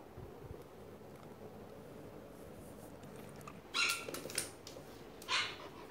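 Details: Pet dog, angry and worried, responding to barking played on a phone: quiet at first, then a quick burst of three or four sharp barks near the end, followed by one more bark.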